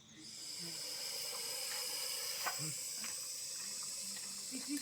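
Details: Russell's viper found at a home and caught by a snake rescuer gives a steady, breathy hiss that runs almost unbroken for nearly five seconds, with faint clicks and handling noises underneath.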